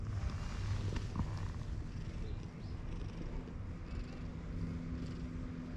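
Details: A friendly white cat met on a bridge purrs in a low, steady rumble that runs without break through the whole stretch, with a faint murmur of outdoor background noise underneath.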